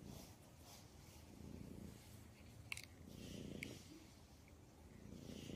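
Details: Low, grainy cat purr rising and falling with each breath, the swells arriving every couple of seconds, broken by a few sharp clicks or taps in the middle.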